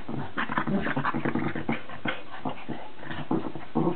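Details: A Cavalier King Charles Spaniel and a Cairn Terrier playing at war: continuous low rumbling growls with short snorts and bursts of grumbling, dense and unbroken throughout.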